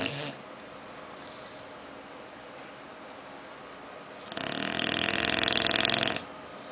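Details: Bulldog named Oliver snoring while sleeping and dreaming: a quiet stretch of faint breathing, then one loud, harsh, rattling snore lasting about two seconds near the end.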